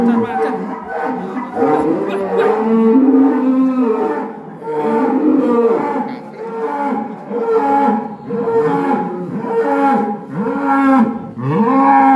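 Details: Raging black cattle lowing in a rapid series of short, resonant moos repeated every second or so across twelve seconds, each with a rich harmonic tone that bends upward at the end.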